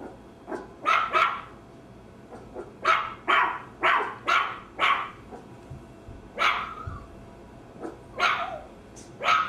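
A Maltese gives sharp, high-pitched barks in quick pairs and short runs.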